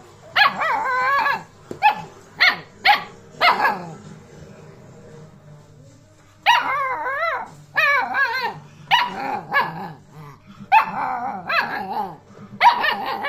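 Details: Two-month-old Alaskan Malamute puppy talking with its owner: bursts of warbling, wavering yips and woo-woo vocalisations, some quick and choppy, others longer and modulated, with short pauses between phrases.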